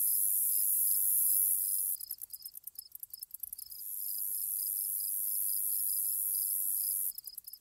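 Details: Grasshoppers in an ambience recording: a steady, very high shrill buzz runs through most of the clip, broken by rapid stuttering pulses around the second and third seconds, while short, lower chirps repeat about twice a second throughout.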